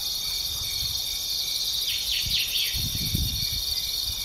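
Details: Grasshopper calling in open country, a steady high hiss broken midway by a short run of rasping, scraping pulses, with soft low thumps underneath.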